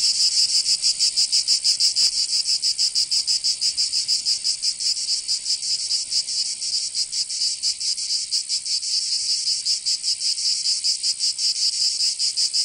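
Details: Summer cicadas in Provence, southern France, a continuous shrill buzzing chorus with quick pulses that are less even, overlapping singers creating a dense shimmering drone.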